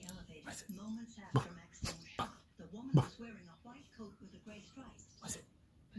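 A Siberian Husky makes low, wavering, talk-like moans and whines, rising and falling in pitch.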